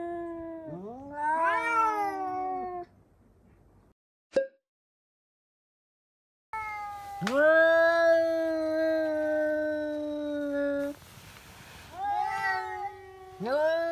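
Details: House cats shrieking at a cat seen outdoors: rising, wavering yowls, a near-silent gap with one sharp click, then a long loud sustained wail and further upswept screams.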